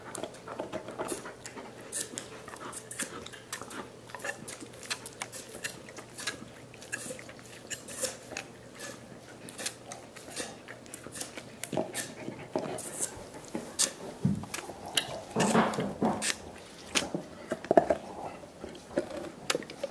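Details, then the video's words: Five dogs gnawing soup bones indoors as part of a dental hygiene program; dense wet clicks, crunches and slurping smacks come in irregular bursts throughout, growing louder and busier near the end in a small room. "Annoying dog noises"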